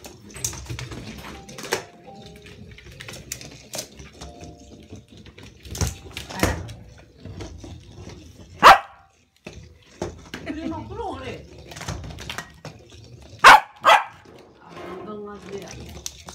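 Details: Hina the Corgi, a pet dog indoors, playing with a Wonder Ball: two strong, separated barks several seconds apart, plus some short yips, against rattling toy knocks and faint room noise.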